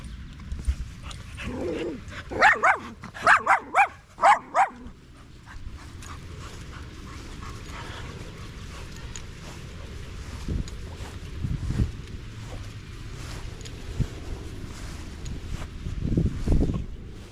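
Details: A Staffy among a group of male dogs at the park one evening. It gives a quick run of sharp, high whimpering yelps for about two seconds, each one wobbling in pitch, followed by a long stretch of low rumbling outdoor noise with occasional soft thumps.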